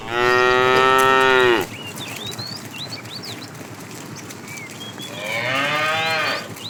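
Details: Tame cows herded toward green pasture in the morning, running happily: a loud, long harmonic moo lasting over a second, then a pause full of small bird chirps before a second, softer drawn-out moo near the end.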